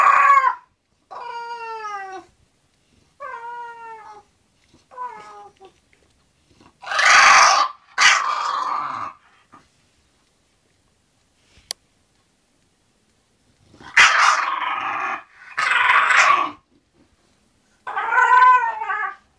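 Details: English Bulldog Zenuś settling down to sleep: a series of short, high, wavering whines with rich overtones, then louder breathy, groaning grumbles around seven and fifteen seconds, ending in another whine; quiet room otherwise.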